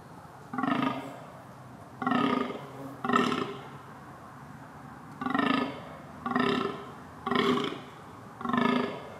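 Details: Rutting red deer calling with coarse, resonant bellows, three in quick succession, a pause of about two seconds, then four more in the same rhythm.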